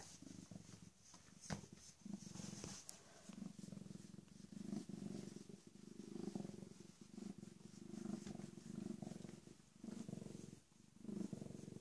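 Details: {'caption': 'Rescued female cat about 18 or 19 months old, recently spayed and a mother of kittens, purring softly indoors; a low, steady rhythmic rumble with slight pulsing and faint rustling.'}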